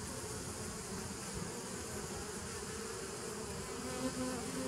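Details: Continuous humming of bees, dated 27 September 2018, a thick low drone with a faint steady tone near the bottom and a wash of hissy noise above, level and unbroken for the whole stretch.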